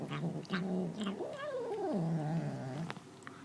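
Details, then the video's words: Kitten making odd sounds while eating: a low steady hum that swings up into a higher wavering arc, then drops back to the low droning tone before stopping, with a faint click at the end. "Cat makes funny sounds while eating"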